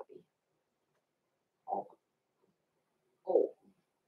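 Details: Blenheim Cavalier King Charles Spaniel puppies, six weeks old, born November 14, 2022, kept in a home puppy pen; short, low, gruff puppy barks, two main ones about one and a half seconds apart, with brief quieter yips between, in a quiet room.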